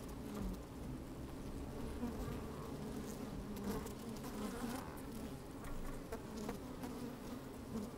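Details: A colony of honey bees inside an opened hive on a sunny, breezy day, recorded with the microphone down among them: dense, even humming with small wavering buzzy rises every second or so and soft crackles.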